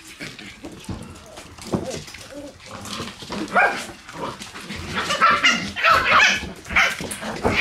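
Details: Shiba Inu puppies in their puppy room on a November 11 morning, giving scattered high whimpers and short yips that grow busier and louder toward the end, with human voices mixed in.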